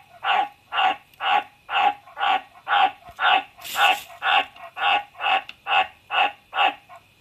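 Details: Aomatsu-chan, a White's tree frog, repeats a low raspy croak about fourteen times at a brisk, even pace of nearly two per second. A brief hiss of noise overlaps one call midway.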